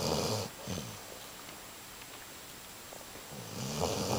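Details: Snoring from Humphrey the Basset Hound as he sleeps: a rough, noisy snore fades at the start, then a short quiet gap, then another grating inhale builds toward the end.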